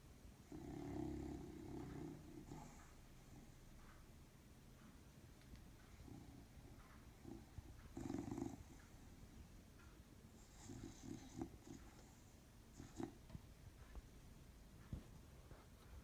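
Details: Pet dog napping on a sheepskin rug, snoring loudly: low, rough rumbling breaths in an uneven rhythm, with a few louder snorting bursts near the start and around eight seconds, and a quiet room behind.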